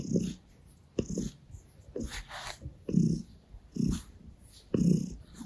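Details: A gray Russian Blue cat purrs while licking a person's hand and kneading on their stomach; low rumbling pulses repeat about once a second, with rustling touches between them.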